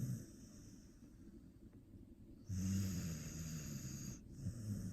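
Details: An Australian Shepherd sleeps and snores like an old man; after a quiet stretch of breathing, a long, low rumbling snore with a hissing edge runs nearly two seconds before a brief pause.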